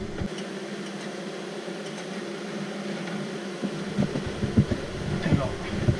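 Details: A rescued honey bee colony, found behind window shutters and being moved into a nucleus hive on 2 June 2018, hums with a low, steady drone broken by handling knocks.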